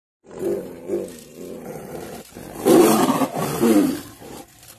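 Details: Wild tigers in India during mating, giving a series of rough, low groaning calls: softer pulsing grunts at first, then two louder, longer roars with a hoarse, throaty texture toward the end.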